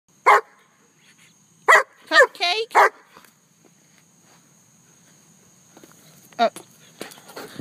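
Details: German Shepherd pet dog named Cupcake barking outdoors: four sharp, loud barks in the first three seconds, then a lone bark near six and a half seconds. A person calls the dog and tells it to drop something.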